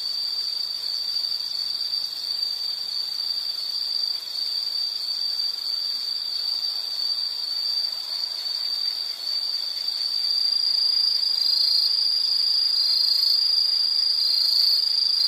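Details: Dense insect calling, an unbroken high shrill trill held steadily throughout, growing slightly louder toward the end, with faint background hiss.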